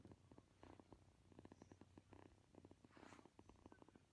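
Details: Kitten purring while kneading and seeking affection: a close, steady low rumble made of rapid pulses that swells and fades in loudness over about four seconds, with no other clear sounds.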